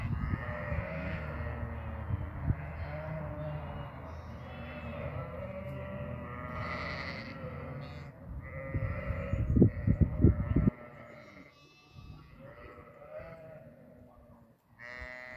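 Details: Goats on a farm giving repeated, overlapping bleats, some long and quavering, others short and nasal, from several animals at once, with low rumbling background noise and brief knocking thuds near the tenth second.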